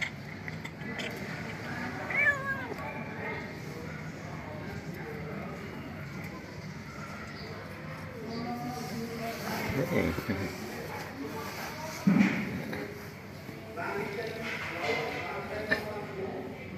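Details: Homeless cat at the front of a house asking for food; several plaintive meows with rising and falling pitch come through between human speech, with outdoor street background noise.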